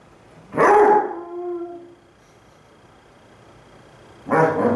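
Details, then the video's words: Two pet Basset Hounds howl at each other, one lying lazily on its side: a loud harmonic bay sliding downward for about a second, then quiet, then a second burst of baying starts near the end. "Basset Hounds Howling... Lazy Style!"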